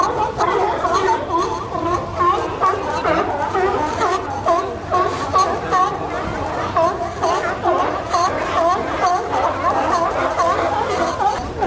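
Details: A colony of seals living at Pier 39 in San Francisco bark in a crowded chorus of hoarse, overlapping calls that rise and fall without pause.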